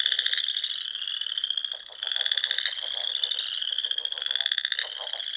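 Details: Spring frog chorus at dusk from ponds in Nebraska's Sandhills dunes: many high, rapid pulsed trills overlap without pause, with louder bursts rising from the steady background every second or two.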